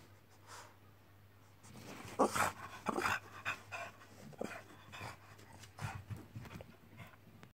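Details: French Bulldog; whining; demanding play and attention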